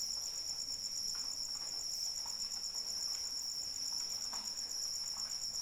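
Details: A cricket trills continuously during rainfall, a shrill and rapidly pulsing tone held without pause, while gentle rain patters and drips softly in the background.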